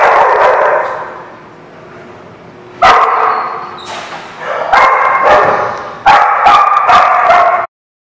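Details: Barking dogs, recorded 4/10/17: dense, overlapping barks and yips open the clip, fade into a short lull, then resume in several rapid loud bursts before an abrupt cutoff near the end.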